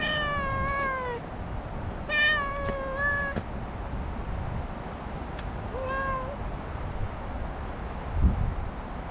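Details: Talkative stray cat meowing: three drawn-out, slightly falling meows spread over nine seconds, the last shorter and rising, over a steady low outdoor rumble and a faint thump near the end.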